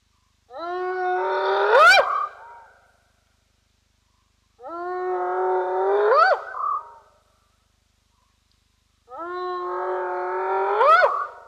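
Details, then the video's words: Spotted hyena whooping at Roy's Dam, recorded by a streaming camera: three long calls roughly four seconds apart, each opening low, swelling, then sliding up into a sharp rising sweep. Silence between the calls and no other sounds. "Spotted Hyena, Whooping as Hyena do"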